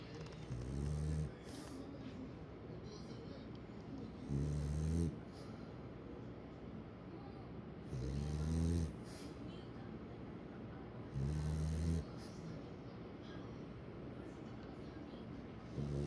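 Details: French Bulldog named Kome, sleeping with its head in an unusual spot instead of on a pillow, snores in deep, low rumbling bursts with stacked harmonic bands, five snores roughly every three and a half seconds, over a steady quiet room hiss.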